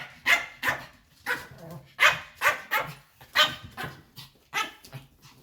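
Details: White Pomeranian dog at home, barking loudly in protest as its owners prepare to leave the house; a rapid series of about a dozen sharp, high yapping barks in irregular bursts, with a woman speaking.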